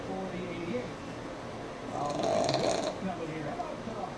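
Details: Single drawn-out rasping snore from Sammi, a sleeping pug, lasting about a second, set against a quiet hum and faint NASCAR commentary.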